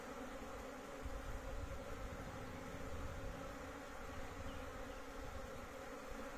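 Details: Big home-kept honey bee colony buzzing: a continuous low, rumbling drone with layered humming tones, loudness swelling slightly now and then, no other clear sounds.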